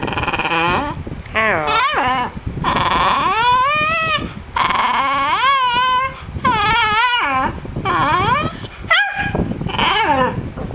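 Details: Pet dog attempting to say hello during a lesson with its owner, giving a string of yodelling, warbling howl-like calls that swoop up and down in pitch, interspersed with human praise, over constant fan noise indoors.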